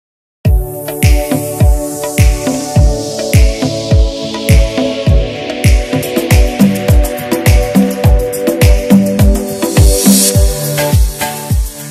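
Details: Loud rhythmic music with a thumping beat and sustained tones plays throughout, with no animal calls.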